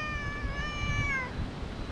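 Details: Stray park cat, among several drawn over as one is petted, giving a single long, steady, high-pitched meow of about a second that drops in pitch at the end, with faint outdoor noise beneath.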